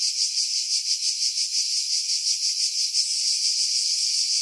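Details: Cicadas singing in pine trees about 50 m above the sea at Pefkos Bay, Skiros Island, Greece, in July 2018, recorded with a Sony RX3 and external mic: a dense high buzzing chorus pulsing about three times per second.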